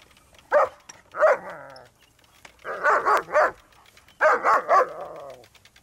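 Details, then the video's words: Pair of German Shepherds, Malfred and Mennard, going after a running lawnmower; loud rough barks delivered singly and in quick triplets, with brief pauses between bursts. "Dogs attack the lawnmower!!"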